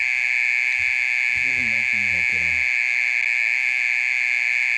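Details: Mole cricket singing noisily at midnight, a song lasting over thirty minutes; its even, high continuous buzz runs on while a person says a few words briefly partway through.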